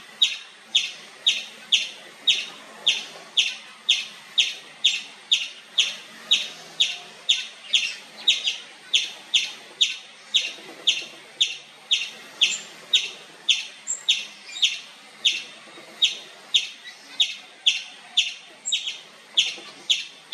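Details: Long run of nonstop loud chirping from an Indian palm squirrel: shrill, clipped chip notes repeated about twice a second with little variation for twenty seconds.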